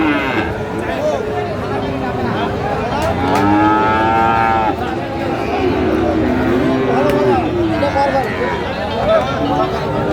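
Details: Friesian and cross-breed bull calves at Raniganj cattle market in Dinajpur on 15 January 2025; several drawn-out, harmonic moos rise and fall through a busy crowd of bargaining voices and steady market noise.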